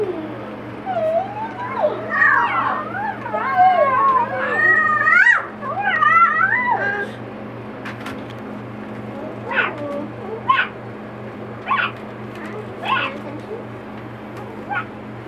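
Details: Four-week-old Boxer puppies playing and socializing with children give high, wavering whines and squeals that bend up and down, followed by a run of short yelps spaced about a second apart, with a steady low hum beneath.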